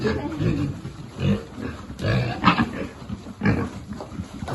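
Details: Piglet at feeding time among a free-living farm pig group, giving low, rough grunts in short irregular bursts, with a few sharper squeaky snorts rising over steady background rustling and shuffling.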